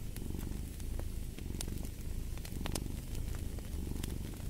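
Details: Low, throaty purring from a cat, rhythmic surges roughly once a second, mixed with the hiss and scattered loud cracks of a wood fire.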